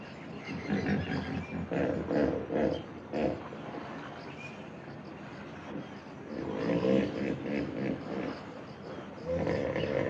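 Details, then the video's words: Hippopotamus calling in two loud bouts of rough, gruff grunting pulses, the first around the opening three seconds and the second rising again from about the sixth second, separated by a quieter stretch of low rumbling. "Hippopotamus sounds, what sound does a hippo make?"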